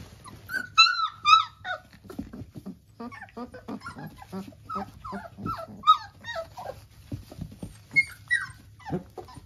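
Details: Three-week-old Labrador Retriever puppies whimpering and squealing indoors: many short, high, wavering squeaks and whines overlapping in quick succession, a few louder drawn-out squeals at the start, with soft rustling beneath.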